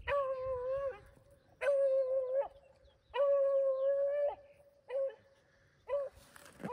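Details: Beagles running rabbits on a February 2023 hunt in upstate New York; long steady bays around one pitch, each held about a second with shorter yelps between, in cold, otherwise quiet woods.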